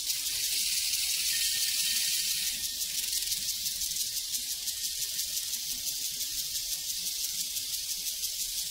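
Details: A prairie cricket chorus makes a bright, hissing wall of chirps, with fast rapid pulsing audible through the second half.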